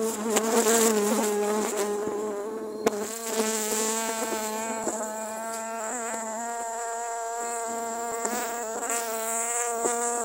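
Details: Dwarf honey bees swarming and attacking during grass cutting; a dense, continuous droning buzz that wavers slightly in pitch as insects move close, with a faint high hiss above.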